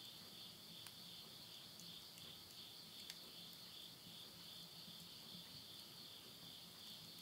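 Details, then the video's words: Night insects calling at midnight in September 2020 near a house in Yurihama, Tottori, Japan, as summer ends: an unbroken high-pitched ringing drone, dotted with occasional snaps from firewood burning in a stove. "mid night the voice of insects"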